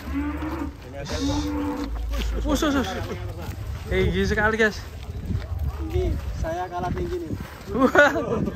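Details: Giant, rare Pegon cattle at Mojokerto, Indonesia, giving several drawn-out, tonal moos of under a second each, some rising and wavering, over a low rumble with men talking nearby.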